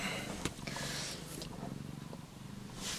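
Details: Australian Mist cat named Dawn, a mother with her first-born kitten Ali, purring steadily indoors in a low, even rumble; a person talks softly to her before and after.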